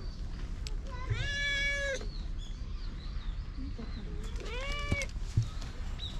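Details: Affection-seeking stray cat, running up to its familiar human, filmed outdoors with a GoPro; two bright meows, the first higher and flat, the second arching, over a low rumbling background with faint human voice.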